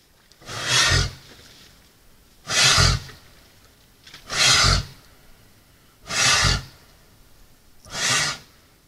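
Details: A moose at a salt lick, recorded by a trail camera during the rut, gives five deep, breathy grunts, each about half a second long and spaced nearly two seconds apart; nothing else is heard.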